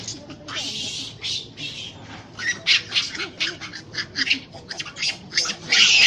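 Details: Monkeys in a gang fight at Swayambhunath stupa, the monkey temple in the small forest around it in Kathmandu, Nepal: harsh, high shrieking screams in rapid bursts, rising to a loud sustained screech at the end, with faint chatter below.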